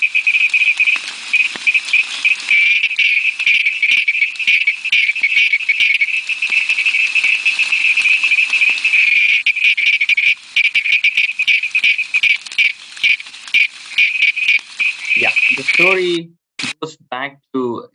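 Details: Dense, high-pitched pulsed trilling of the Malabar Tree Toad, a species found only in India's Western Ghats, running steadily for about fifteen seconds before breaking off into brief lower, voice-like sounds at the end.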